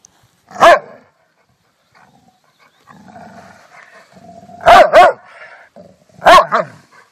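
A Rottweiler gives loud, deep single and double barks with a low rumbling growl between them.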